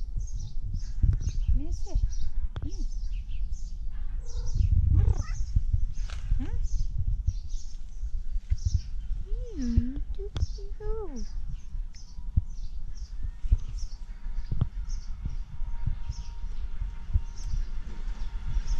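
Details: A tabby cat, said to sound like a duck, gives several short meows, including a clear arched, wavering one midway, with a woman speaking Turkish and steady high chirping outdoors behind.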